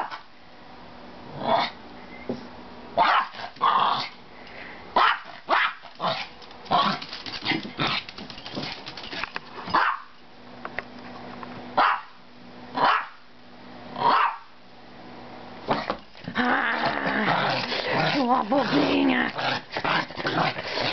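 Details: A pet Maltese dog barking in short, sharp bursts, roughly a dozen barks spaced about a second apart, some with growly edges, then a longer stretch of dense, rough growling and grumbling sounds toward the end.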